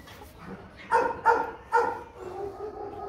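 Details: Meeting of Rottweiler Bruno, a young champion of Latvia, and his son Igor at seven months; three quick barks in a row, each abrupt and resonant, over faint room noise.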